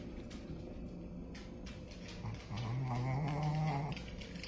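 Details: Shih Tzu/Pekingese dog at play indoors, coaxed with a toy mouse, giving a low rumbling growl that rises into a steady, drawn-out whining growl for over a second, then fades.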